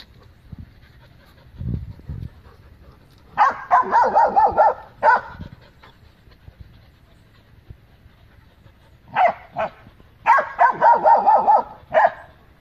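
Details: Great Dane and companion dogs defending their yard against loose dogs that came to the gate; two bursts of rapid, harsh barks, one around four seconds, one near ten to twelve seconds, separated by quiet.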